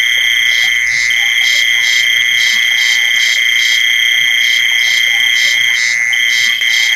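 A continuous shrill cricket trill holds at one high pitch throughout. Over it, a second caller pulses in quick, regular bursts, creating a dense, even insect chorus.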